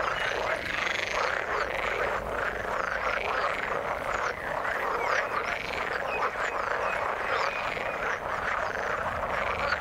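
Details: Frogs calling in the water, a dense overlapping chorus of croaking calls with arched, looping notes packed between mid and high pitch, sustained without pause throughout.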